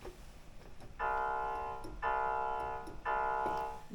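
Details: Three sustained keyboard-like tones with even harmonics, one starting each second, over quiet room hiss with faint clicks; no animal voice is heard.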